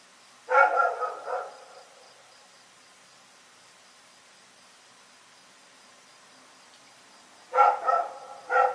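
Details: At night, the dog Rex lets out a quick burst of two or three rough barks, falls silent for about six seconds, then barks in another rapid cluster of three.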